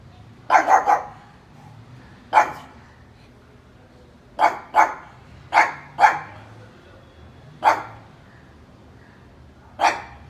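A pug gives short, sharp barks, some in quick pairs, spaced irregularly.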